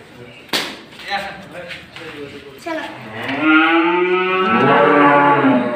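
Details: A Friesian dairy cow sick with a sudden viral fever, during treatment: a drawn-out low moo rises in strength and holds for over two seconds, after a few clicks and brief shuffling noises.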